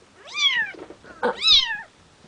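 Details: Bengal kittens just over two weeks old, a litter from a breeder's cattery, give two loud high mews, each a harmonic-rich cry rising then falling, about a second apart with a soft snuffle between.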